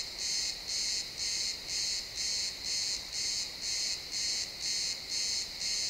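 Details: Crickets chirping in a pine forest at sunset, captured as a realtime XY stereo recording: bright high pulses repeated about twice per second in a steady rhythm, with a faint woodland hush beneath.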